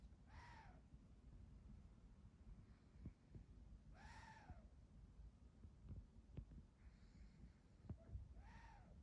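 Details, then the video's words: Pekingese dog asleep indoors, snoring with a whistling nasal tone: arched, rising-then-falling wheezes roughly every four seconds over a steady low rumble of breathing. "페키니즈 여러가지 사운드 1탄 | 코 고는 소리 | 재채기 소리 | 간식 먹는 소리"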